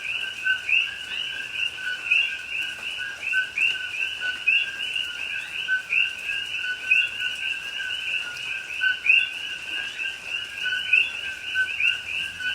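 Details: Dense night chorus of coqui frogs in Hawaiian rainforest at Pahoa in October 2021: many overlapping high two-note chirps, with soft rain beneath.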